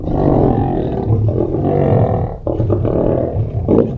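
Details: Lions feeding at Mount Etjo Safari Lodge in Namibia, squabbling over meat at close range; a loud, deep, sustained rumbling growl for over two seconds, a brief pause, then further harsh snarls.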